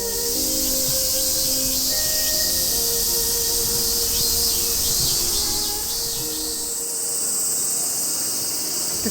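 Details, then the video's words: Cicadas in the quiet grounds of Yushima Seido, a Confucian temple in Tokyo, Japan, with no traffic. A steady, dense, high hissing drone runs throughout, with faint sustained music tones underneath. "Tu entends les cigales et pas de circulation."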